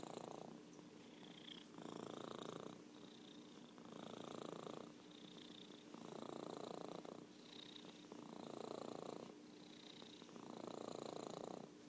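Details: A champion purrer, the orange tabby cat Merlin, rumbling in a long, even series of breathing cycles, roughly five throaty swells alternating with quieter inhales, with a steady faint hum beneath.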